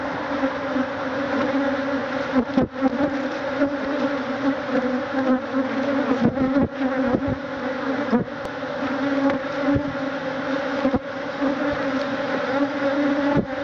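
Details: A cloud of thousands of stinging Africanized honey bees attacks a man removing their hive; a sustained, thick buzzing drone with steady low and mid tones, interrupted now and then by brief sharp clatters.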